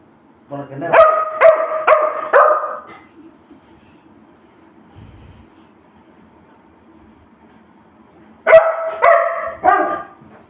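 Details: Domestic Labrador Retriever begging for food, giving a burst of four quick, resonant barks, then a long quiet pause with faint background hum, then another run of three to four barks.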